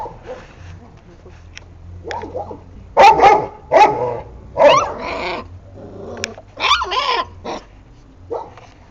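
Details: Šarplaninac puppies giving short harmonic whines and yelps in uneven bursts, several rising and falling sweeps crowding together around the middle, with low background rumble between calls.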